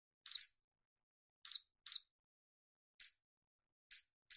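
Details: Shrew giving very high, thin squeaky calls in short clusters of two or three notes, spaced irregularly over a few seconds against complete silence.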